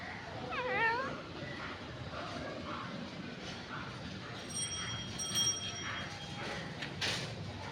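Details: Cute domestic cat giving one short, wavering meow near the start, followed by several seconds of background hiss with faint sustained high tones and a brief noisy burst near the end.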